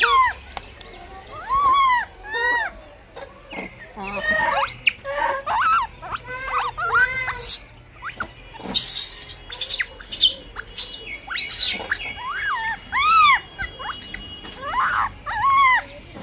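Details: Blind baby monkey struggling for food, crying almost nonstop: rapid series of arched, wavering squeals and shrieks, some sliding up and down in pitch, interrupted by harsh noisy bursts and brief pauses.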